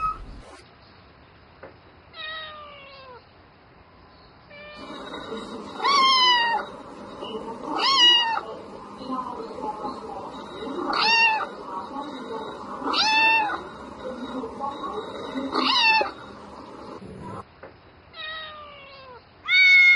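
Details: Night-time mating calls from a domestic cat: a run of short, sharp meows, some falling, some rising then dropping, heard over a steady broad background hum through the middle section.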